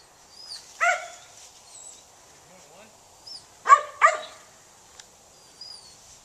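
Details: Gray's Mountain Feist dog working outdoors while a man urges the dogs to get out there. Three sharp, ringing barks, one early and a quick pair about three seconds later, with brief faint yips and the man's voice between them.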